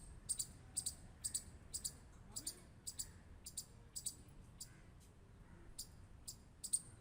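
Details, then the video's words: A clean series of squirrel clicks: crisp, bright ticks about two per second, some doubled, over a quiet background. "Squirrel Clicking Sound | Squirrel Sound"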